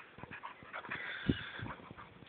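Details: Border Collie recorded on an Android phone, giving a brief, soft, breathy whimper with a few faint whine notes over steady background hiss, lasting about two seconds.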